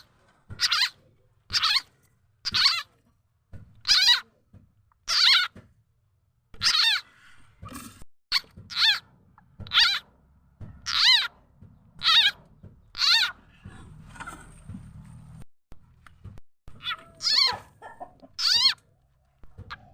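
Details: Khiat chana or khiat mo frog calling, a sound used as a lure for catching birds, chickens and other fowl. Loud sharp squeaky chirps repeat steadily about once a second, thinning in the middle, then resume.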